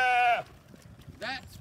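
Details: Sheep on a farm during hay feeding, a hungry ram lamb among them; one brief harmonic bleat that drops off, a pause, then a second short bleat rising and falling.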